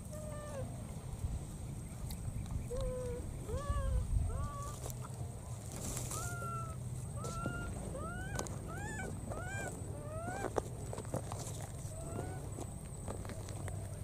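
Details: A wild baby monkey, after recklessly crossing water, keeps looking for its friend and gives repeated high, arching coos as it calls for the missing companion.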